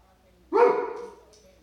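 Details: Dobermann reacting to squirrels with one loud, abrupt bark that fades over about half a second, then near silence.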